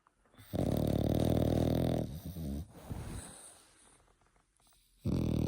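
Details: French Bulldog pup of eight months snoring indoors. One drawn-out, gravelly, droning snore is followed by shorter snuffly breaths and quiet, and then the next loud rasp starts at the end.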